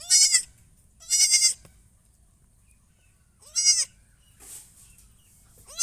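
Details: Goat giving repeated loud, harsh, wavering bleats, four in about six seconds, with a softer, breathy call between the last two.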